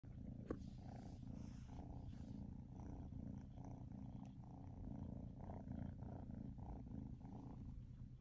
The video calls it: Chips loud purr ( Siamese Mix Kittens )